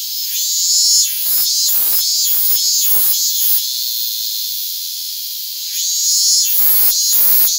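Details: A Japanese cicada (Hyalessa maculaticollis fuscata) held on a hand in August 2022 gives an unbroken, sizzling high-pitched buzz, louder at the start and end, interrupted by clusters of crackling handling noises.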